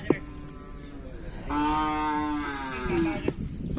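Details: Cattle at a kerapan sapi bull race on the Asemanis field: one long, steady, tonal moo of about one and a half seconds rises out of a low background murmur, with brief clicks and knocks around it.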